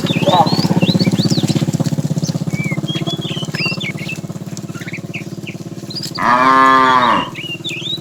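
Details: Tame cows roam as a herd in the morning, searching for food. A rapid, low, rhythmic pulsing fills the first five seconds. Near the end a single loud moo of about one second breaks out, and birds chirp throughout.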